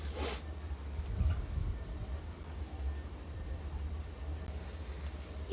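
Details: Background cricket giving high, thin, evenly spaced chirps several times a second for about four seconds before falling silent, with a low hum and a soft thump underneath.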